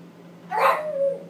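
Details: Chihuahua indoors reacting to a broom it hates, giving one loud, sharp yip-like bark that trails into a brief higher whine, with people talking nearby.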